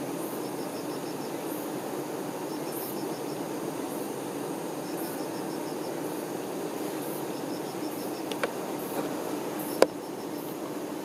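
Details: Honey bee workers looking after the queen hum softly and steadily in a low drone; clear trills of high chirps repeat every two seconds or so, with a couple of sharp clicks near the end.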